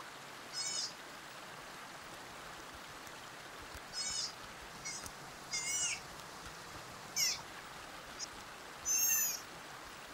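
A sea otter gives shrill, squealing cries, each about half a second long, repeated every few seconds.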